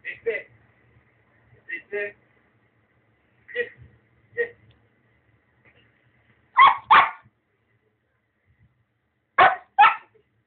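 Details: Female Labrador Retriever watching a computer screen, giving short sharp barks and yips in pairs, several quiet ones then two louder double barks near the end, with silence between bursts.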